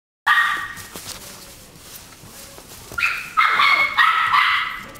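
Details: Chihuahua barking indoors: a short high-pitched yap at the start, a quiet stretch, then a rapid run of four or five sharp, shrill barks over the last two seconds.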